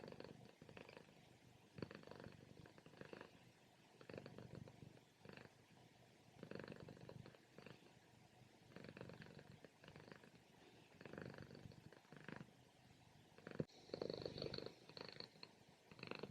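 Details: Sleeping house cat on its morning nap, loud purrs rising and falling with each breath about every one and a half seconds, a steady low rumble heading toward snoring, a brief click late on.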